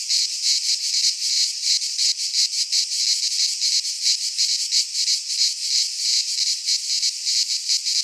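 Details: Cicadas singing in a Greek pine forest in midsummer: a dense, continuous buzzing chorus, pulsing rapidly about three times a second, steady and loud throughout with no other sounds.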